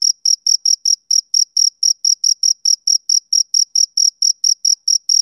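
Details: Chirping of a male cricket, summer evening: crisp high-pitched pulses repeated a little over twice per second in an even rhythm, each chirp brief and bright, with silence between them.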